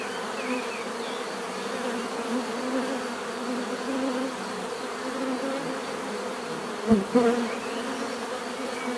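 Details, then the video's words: Steady bee hum, a dense layered drone, broken late on by a sharp close pass of one loud buzzing bee before the even murmur resumes. "bees therapy relaxing natural buzzing sound"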